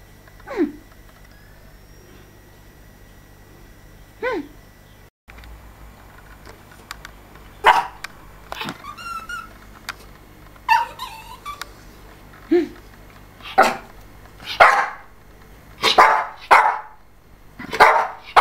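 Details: Two Yorkshire Terriers during their first mating: scattered sharp yips and short barks, sparse at first and then coming in quick bursts near the end, with a brief thin whine in the middle and a steady low hum underneath.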